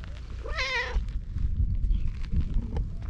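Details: A brown tabby cat wearing a collar seeks affection in a cute voice, giving one short, wavering, fairly high meow that rises then falls, over a steady low rumble of wind or handling noise.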